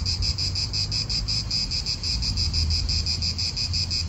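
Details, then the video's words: Short stretch of cicadas in an Italian park: a high, buzzing rattle throbbing several times a second over a low hum of wind and nearby cars. "italian park ASMR Cicadas wind real atmosphere in an Italian park birds"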